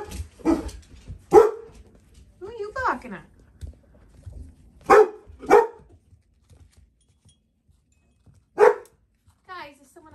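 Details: Four-week-old Dalmatian puppies barking while someone is outside: sharp, high, yappy barks, some in quick pairs, with a few squeaky whines and long quiet gaps between bursts.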